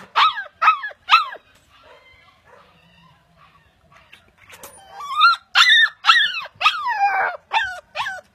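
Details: Siberian Husky, a pet dog, giving three quick yelping barks, a pause with soft faint sounds, then a burst of high, drawn-out howling barks with downward-sliding pitch.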